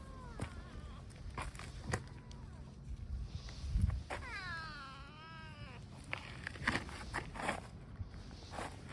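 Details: Stray tabby cat coming over while calling, one long wavering meow of about a second and a half that rises and dips in pitch, among footsteps and faint outdoor noise.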